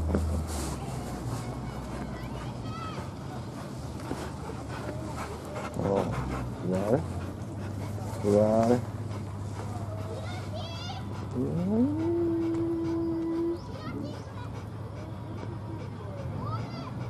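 An Akita whines in high, wavering bursts and one long steady tone while begging for biscuits.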